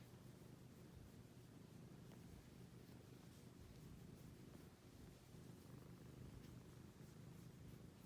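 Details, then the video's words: Domestic cat purring: a soft, low, continuous rumbling hum held steadily throughout, quiet against faint background hiss, with no other clear sounds. "the cat making a purr sound"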